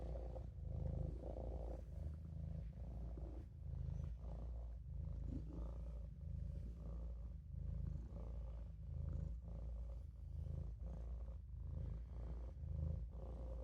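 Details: Maine Coon kitten named Olof napping in a sink, purring steadily in a low rumble that swells and eases with each breath, roughly every second and a half, with no other sounds.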